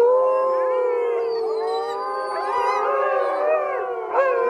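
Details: Several wolves howl at once, their layered voices weaving up and down in pitch, some sliding upward, others holding steady. The chorus is continuous throughout, with a brief, sharper rise near the end.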